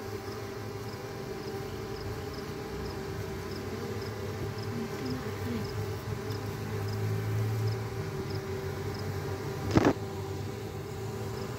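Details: A honey bee colony swarming from its hive as a natural way of multiplying. The drone holds steady, with a deeper hum swelling in the middle. Faint high ticks repeat evenly, and a loud clattering knock comes near the end.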